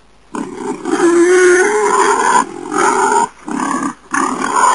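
A wild boar gives loud, rough, drawn-out grunting squeals in several bursts.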